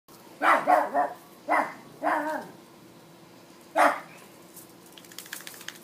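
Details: American Hairless Terrier barking indoors, four sharp barks in quick bursts over about four seconds, some doubled, followed by rattling and a person speaking softly.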